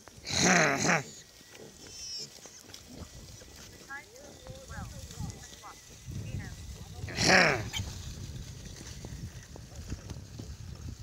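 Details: Piglets among hundreds of baby pigs on a farm give two loud, shrill squeals, one at the start and one about seven seconds in, with a person talking and low grunting between them.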